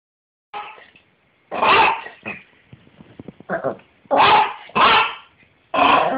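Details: Fifteen-year-old pet Yorkshire Terrier, toothless with failing eyesight, that jumps whenever he barks and cannot bark with all four feet on the ground; short sharp yappy barks in bursts, about five loud ones over six seconds, with softer yips between.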